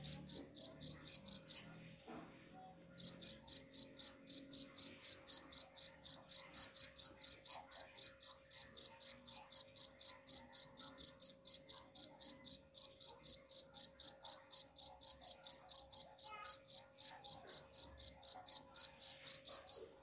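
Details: Rapid, regular cricket chirps, played to frighten rats away, ring high and clear at around four pulses per second, with a brief pause near the start and a low hum underneath.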